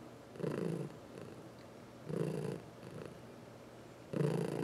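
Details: Massaged domestic cat, one of four, some adopted as seniors from the Humane Society of New York City, purring in short low rumbling surges, three loud pulses and fainter ones between, in a quiet indoor space.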